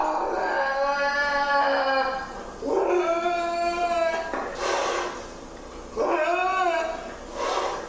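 A lynx gives long, drawn-out yowling calls that rise and fall in pitch.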